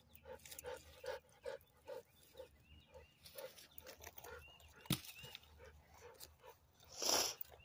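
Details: Toby, a Labrador Retriever, stuck while trying to swim: a quick run of short, regular barks or yelps, about two or three a second, fading out, then a sharp knock and a loud splashing burst near the end, with faint bird chirps behind.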